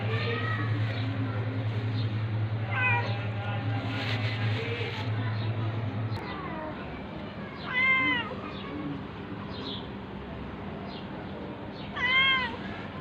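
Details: Domestic cats during a fight, a tabby cat attacking a ginger one: three separate drawn-out meows near three, eight and twelve seconds over a low droning hum that stops midway.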